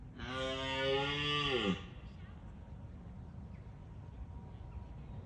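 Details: Rutting-season red deer stag in Bushy Park gives a roar that warns off rival stags: a strained, harmonic bellow of about one and a half seconds that falls away sharply, then quiet ambience.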